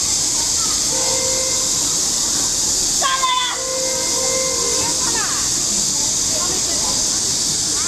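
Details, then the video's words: A continuous shrill buzzing hiss from cicadas in lakeside trees at Huangzhou holds level from start to end. A brief burst of human voices sounds in the middle. "Sound of the Cicadas of Huangzhou"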